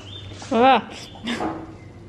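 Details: A cat named Snow, described as having a big personality, gives a short arched squeak with a rising then falling pitch, followed by a softer second sound and a person's voice nearby.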